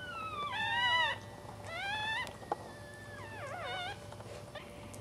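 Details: Fourth newborn pup of a Cairn Terrier litter, just after birth. It makes thin whining cries, falling in pitch at first, then a wavering, warbled wail near the end, with faint clicks and a constant low background hum.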